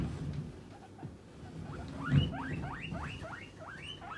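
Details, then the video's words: Pet guinea pig calling to demand food when hungry as snack time nears: after a short quiet start, a run of about eight rising whistled squeals follows in quick succession, each sweeping upward, with faint low rumbling beneath. "モルモット 鳴き声【お腹が空いた時はこう鳴きます】Guinea pig demanding a man"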